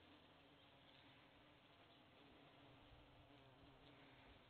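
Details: Bees buzzing in a steady, unbroken drone, a dense low hum holding one constant pitch from start to finish with no pauses and no other clear sounds.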